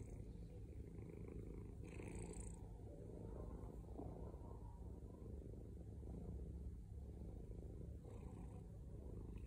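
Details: Deep continuous purr of a male house cat, a close low-pitched vibrating drone with faint breathy swells near the start and end, otherwise even and uninterrupted.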